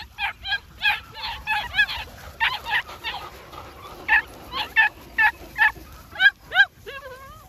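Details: New Zealand Huntaway puppies yelping in quick bursts of high, harmonic yaps with bending pitch, about two a second, a few with short gaps, ending in wavering whine-like notes.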